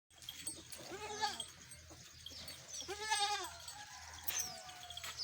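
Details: Village goats in Pakistan bleating: two drawn-out, wavering bleats about two seconds apart, with faint high chirps from birds in the background.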